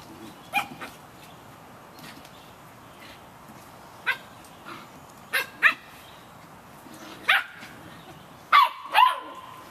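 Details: Rain-soaked Samoyed puppies, 51 days of age, let out short piercing yips that build from sparse single notes to louder paired yelps near the end, over a background hiss of rain.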